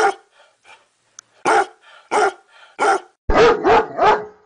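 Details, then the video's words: Domestic dog letting out loud, sharp barks in quick succession, softer muffled sounds between the first few, ending in three rapid yelping barks close together. "Funny dog barking"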